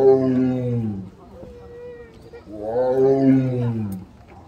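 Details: Zoo tiger in Seoul Grand Park, South Korea, 18 November 2022, crying out loudly during exercise: two deep, drawn-out moaning calls about a second each, gliding slightly downward, separated by a short pause.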